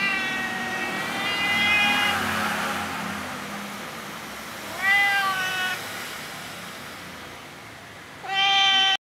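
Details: Tabby cat, apparently a stray that knows the person, meowing for food: a long meow, then two shorter, rising meows spaced about three seconds apart, over low background rumble.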